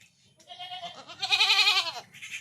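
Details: Goat on a village farm, pestered by mosquitoes and flies, giving a long quavering bleat that swells in the middle and falls away at the end, while a woman asks in Bengali what is biting it.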